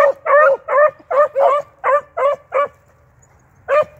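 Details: Beagles tracking rabbits in the field, an eight-month-old pup with a trained male: a run of loud ringing yelping barks, about eight in quick succession, then a pause and one more.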